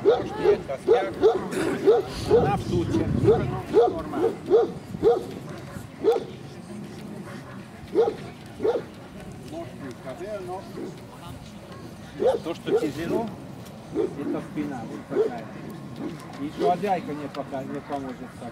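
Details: Central Asian Shepherd Dog barking at a club breed show, Kyiv (Krasylivka), 28 September 2019: a quick run of deep barks for six seconds, then scattered single barks amid loud talking and crowd noise.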